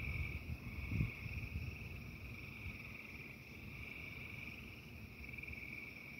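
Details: Frogs calling during a thunderstorm: a steady, high, buzzing chorus runs unbroken through the whole stretch. Beneath it is constant low rumbling noise, with a brief louder thump near the first second.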